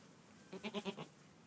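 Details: Newborn Angora goat kid on its first morning calling with a short quavering bleat of about four quick pulses in half a second, over a quiet hiss.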